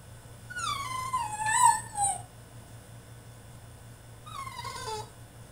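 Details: Tantrum from a French Bulldog shut in his cage: a loud, drawn-out descending whine lasting over a second, a pause, then a shorter falling whimper, against a faint background hum.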